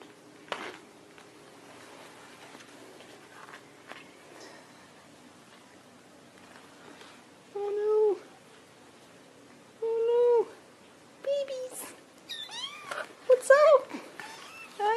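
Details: Mother cat calling her kittens indoors: a series of short, clear tonal meows, some rising then falling, growing more frequent and louder toward the end, with a faint hum in the background.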